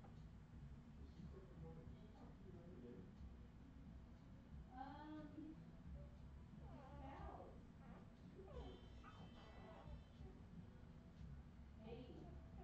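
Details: Redwing Australian Terrier puppies from 2018 give several short, high, wavering whines and squeals with a falling tone, scattered across the recording over a steady low hum and some indoor background noise.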